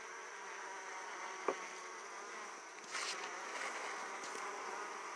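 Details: Italian honey bees at an opened hive, returning with heavy loads of pollen; a steady, many-layered humming drone of wings holds throughout, with a brief sharp tap near the start and slightly louder buzzing passes in the second half.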